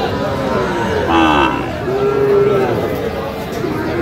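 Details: Sahiwal bull calf at a busy Bangladeshi cattle market in Sirajganj, 5 August 2025: a short moo followed by a steadier, longer low call, with voices and market noise all around.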